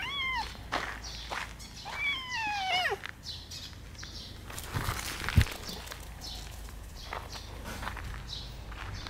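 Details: Outdoor red tabby cat from a park colony, recently castrated, watched with its two tabby brothers: a short falling meow, then a longer drawn-out meow sliding downward, followed by footsteps and rustling on the ground.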